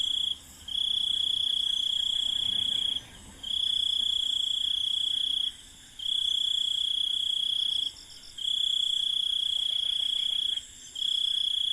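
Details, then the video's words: Night ambience in an Indian village with crickets: long, high, continuous trills lasting two to three seconds each, separated by short pauses of about half a second, over a soft layer of higher insect hiss. "INDIAN Village Night Ambience 001 | Crickets with Birds"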